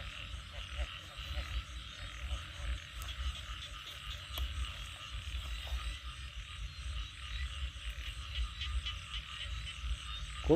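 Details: Frogs calling loudly at night in northeastern Thailand after rain, a dense low chorus of steady throbbing croaks with an insect-like hum running continuously.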